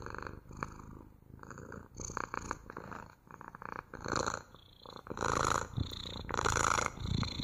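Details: Purring pet cat, a continuous throaty rumble pulsing with each breath, growing louder in the last few seconds with two strong swells.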